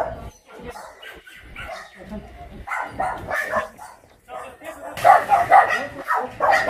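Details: At the Yangsan abandoned dog shelter in South Korea, a biting dog is being caught. Scattered barks mix with people talking, building to a rapid, loud run of barking near the end.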